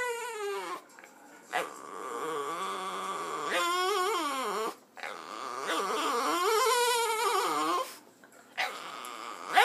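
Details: Boston Terrier Jazmine, a female pet, making funny noises when she sees another dog: drawn-out, warbling whines that swoop up and down in pitch, broken by brief pauses, repeating over about ten seconds.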